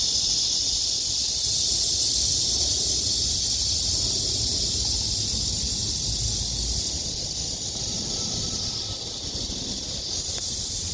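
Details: Trees at Haguicheon stream ringing with summer cicada song: a loud, high, steady buzzing drone that swells slightly after the first second and eases a little near the end, with low background rumble.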